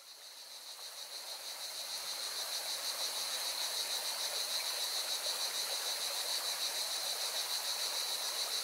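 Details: Singing cicadas beside a mountain river in Valencia, Spain: a steady, shrill buzzing chorus with a fast pulsing throb, swelling in over the first two seconds, layered over the constant rushing hiss of flowing water.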